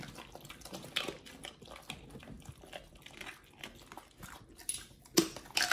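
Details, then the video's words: Raw treats being eaten by Pit Bulls Oliang and nomyen indoors, with moist smacking, licking and crunching in quick uneven bursts, ending with a sharp loud crack. "Oliang and nomyen the Pit Bulls eat RAW healthy treats [ASMR] MUKBANG 犬が生の肉を食べる [咀嚼音]"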